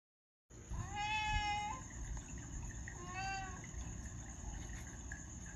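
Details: Domestic cat giving two drawn-out, steady meows, each tonal with many stacked overtones: a longer one held nearly level, then a shorter one a second and a half later, over music and a constant high electronic whine.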